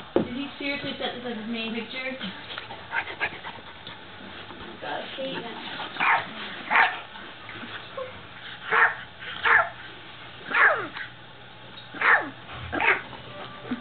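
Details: Dog barking at the camera with a series of short, sharp barks spaced roughly every one to two seconds in the second half, after people talking at the start.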